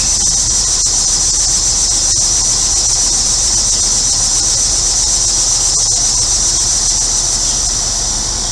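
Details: On a hot day in central Illinois, a dense cicada chorus gives an unbroken, shrill electric buzz, pulsing slightly, with a few birds and a faint low rumble from a neighbour's air conditioner.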